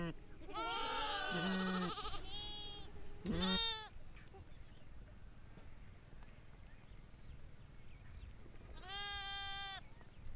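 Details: Sheep reared in the forest of Jungalmahal bleat: a long wavering bleat, a shorter one about two seconds later, then another near the end, with quiet rustling background between calls.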